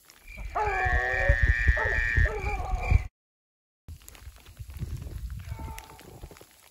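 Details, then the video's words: A beagle chasing a snowshoe hare in snowy woods during sleet and rain lets out one long, drawn-out, wavering howl-like bay over a rumbling background. After a brief break, only faint, distant sounds follow. "Snowshoe Hare Running like a Cottontail - Koblers Running Beagles"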